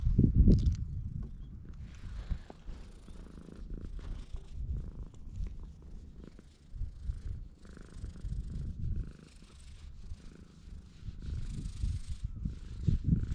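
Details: Stray cat on Tashirojima, Japan's cat island, purring as it welcomes a guest on a table bench at a guesthouse; a steady low rumbling purr with rhythmic breathing swells, faint handling noise, recorded on a GoPro.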